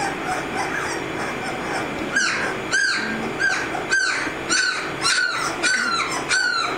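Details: A litter of 18-day-old American Mastiff puppies from the Kimi and Viho pairing: high squeaky squeals that rise and fall, repeated roughly every half second, over a soft background murmur of other pups.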